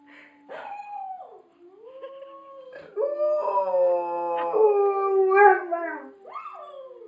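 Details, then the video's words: A Rottweiler watching a clip howls along in chorus, in long, wavering tones that rise and fall, with rich harmonic overtones. "ylande rottweiler"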